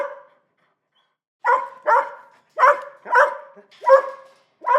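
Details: Small dog barking, described as an annoying noise breaking peace and quiet: after a second of silence, shrill barks come in quick pairs, about six in a row, each clipped and high.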